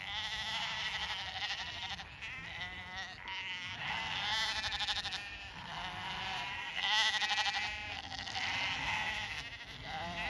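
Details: Lambs on a regenerative farm in County Kilkenny, Ireland, bleating as they come running in answer to the farmer's call; many overlapping wavering bleats over background music, with a low rumble throughout.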